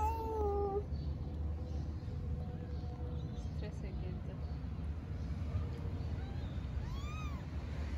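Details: Mother cat talking to her kittens, likely a street cat in Istanbul: a clear harmonic meow opens, then a short rising-falling call near the end, under steady low rumble and a woman speaking Turkish, urging her to eat.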